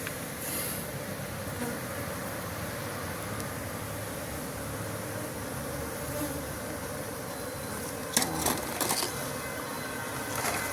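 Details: Bee farm hive sound: a dense, steady buzzing hum fills the recording, joined near the end by a quick burst of rattling clicks.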